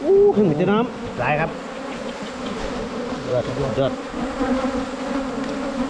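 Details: Wild Asian honey bees tracked during 2022 honey hunting: a short burst of talking opens the clip, then an unbroken buzzing drone from the colony carries on.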